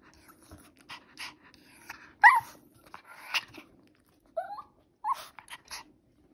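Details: Pomeranian dog reacting to treats indoors, giving short high whimpers and squeaks near the middle and end, with soft breathing and small rustles between them.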